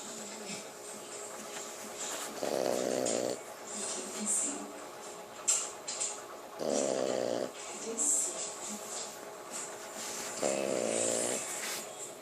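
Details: French bulldog snoring: three long, loud rasping snores at about 2.5, 6.7 and 10.5 seconds, each lasting under a second, with quieter wheezy breaths in between.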